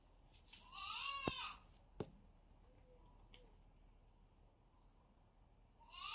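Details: Zerro the kitten fighting its brother: a loud, wavering meow with rich harmonics lasting about a second, two sharp knocks just after, then a fresh rising meow starting at the very end.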